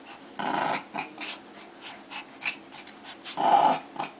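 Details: Two dogs fighting, giving rough, snarling growls in short loud bursts, the strongest near the start and again toward the end, with quieter grumbling snarls between them in a small indoor space.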